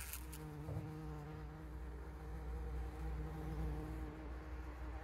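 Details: Bees collecting pollen on 17 June, caught on a trail camera: a steady low droning hum with a clear tone and overtones, holding level throughout.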